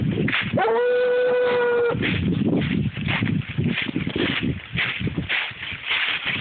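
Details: A 7-year-old Treeing Walker Coonhound named Clarence, trailing a deer, lets out one drawn-out, even-pitched baying note lasting over a second, followed by loud rustling and thrashing movement through vegetation.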